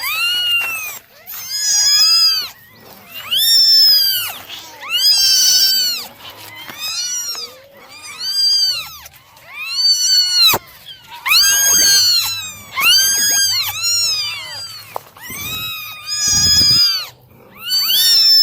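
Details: Nine domestic kittens meowing during a morning drying routine: high, arched, harmonic-rich meows overlapping from several kittens in bursts about every second and a half, with brief quiet gaps and a faint low hum underneath.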